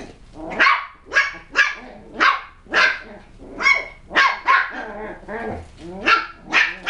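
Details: West Highland White Terrier puppies from a kennel, playing at tricks and threats: a run of about twelve sharp, high yappy barks coming roughly twice a second, some doubled, with faint growly undertones between them.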